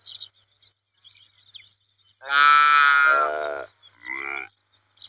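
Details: Saiga antelope giving a long, strained nasal bleat that drops in pitch toward its end, followed by a shorter, rougher call, with faint high squeaks beforehand.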